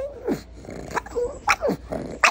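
A pug gives a run of short, sharp barks mixed with falling, whiny yelps.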